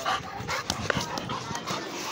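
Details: Pit bull panting while playing: quick, rhythmic, breathy puffs recorded very close, with some rustling handling noise mixed in.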